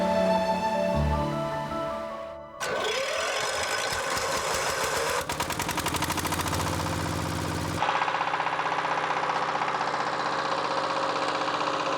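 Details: Broadcast music and a rapid mechanical rattling, with no animal calls audible.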